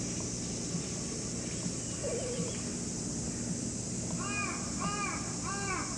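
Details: Cat meowing three times in quick succession near the end, each call a short, bending, tonal cry with a rise and fall, over a steady background hiss and faint low rumble.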